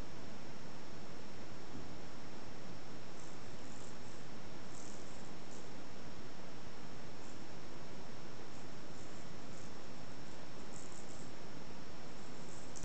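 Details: Exotic Shorthair cat at a cattery with kittens, purring: a steady, unbroken low rumble throughout, with faint rustling on top.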